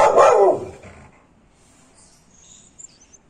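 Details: One loud, gruff bark from an aggressive American Pit Bull Terrier opens the recording, then it fades into near silence with faint, high faraway chirps near the end.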